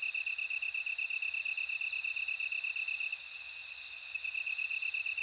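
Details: Bell cricket ringing continuously at a high pitch, growing louder in two swells toward the end. Beneath it, a lower, evenly pulsed cricket trill beats rapidly.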